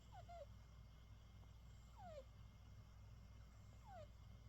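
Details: A British Shorthair cat snoring while asleep after playing all day: soft squeaky falling whistles on each breath, about every two seconds, over a low steady indoor hum.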